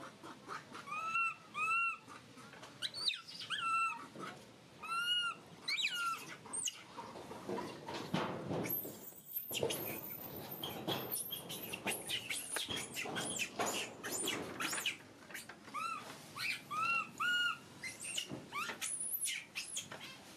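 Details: Crying baby monkey uttering repeated high, thin, arched wails in quick clusters, some cut short and some drawn out, interrupted by bursts of rustling, clattering handling noise and sharp clicks.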